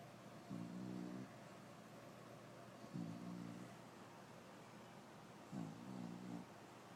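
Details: A female English Bulldog snores while her pup nurses, giving low, droning rumbles, one with each breath about every two and a half seconds.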